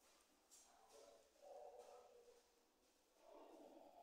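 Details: A rock hyrax (Procavia capensis) at Africa Alive zoo near Lowestoft, East Anglia, behaving naughtily, gives low, rough, nasal grunting calls in three short bursts.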